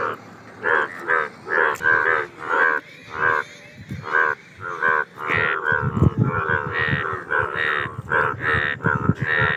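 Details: Indian bullfrogs croaking together, a throaty, moo-like chorus of harmonic blasts repeated more than once a second, louder and more crowded in the second half with rumbling low sounds underneath.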